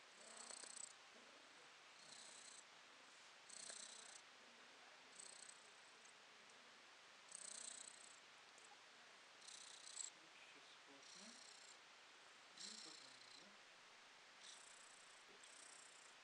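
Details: Purring house cat, December 2022: quiet continuous rumble pulsing with each breath, swells arriving about every one and a half to two seconds across the recording, in an otherwise still room.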